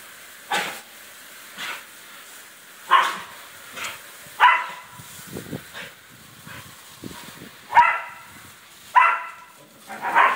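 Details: Pet dog yelping as water splashes; sharp high yelps repeat roughly once a second in an uneven rhythm, some louder than others, with soft splashing between them.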